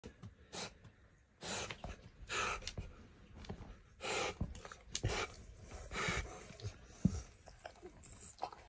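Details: Chance, an obese rescue pig once fed junk food, eating his new healthy weight-loss food at a sanctuary; loud breathy snuffles and chomping bursts come roughly every second or two, with low grunting noise between them indoors.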